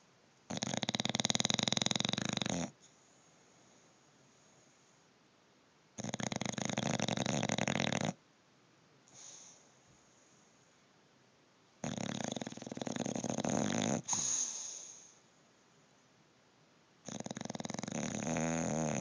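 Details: Snoring bulldog in deep sleep. Four loud, rough, rattling snores, each about two seconds long, come every five to six seconds. Quiet pauses separate them, with a soft sigh in one gap.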